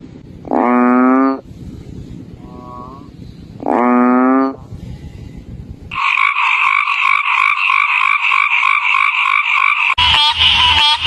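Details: Frogs calling in a stitched sequence: two loud, rich, nasal croaks about three seconds apart, then a dense, steady pulsing chorus of many callers, ending with a harsher, buzzy burst.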